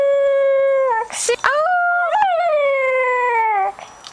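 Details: Cocker Spaniel singing at its owner's request in a small room, June 2008: a sustained howl, brief interruption by a spoken prompt, then a rising, wobbling howl that slowly slides down.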